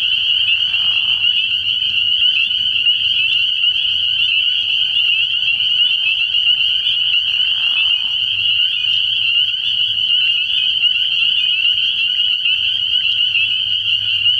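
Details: Dense chorus of spring peepers calling from a frog pond on an early-year night. Overlapping high peeps form a steady shrill drone, with brief lower rasping bursts and a low hum underneath.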